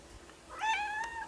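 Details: Turkish Angora kitten meowing indoors, missing its older caretaker away in hospital for a week; one loud drawn-out meow rising then levelling and slowly falling, with a soft click in the quiet room.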